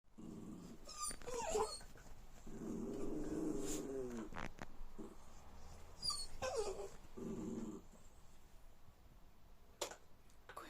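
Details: Jack Russell Terriers indoors playing with a new toy: low rumbling growls in bursts, with brief higher whining yelps between them, and a woman speaking Latvian nearby.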